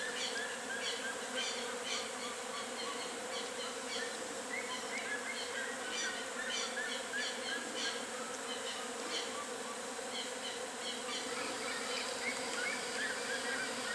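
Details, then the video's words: Natural hive of western honey bees in full activity: a continuous low droning buzz holds throughout, overlaid by brief, repeated high chirping notes from other animals in the background. "ABELHA-EUROPEIA colônia (APIS MELLIFERA), HONEY BEES, Colmeia natural em plena atividade"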